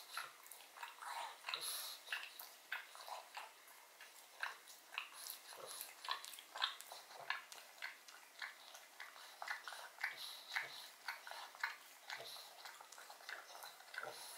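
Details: Pug named Odin eating bone marrow from a bone in a small room, close-up: steady sticky chewing with sharp clicks and crunches roughly twice a second, some softer licking between bites.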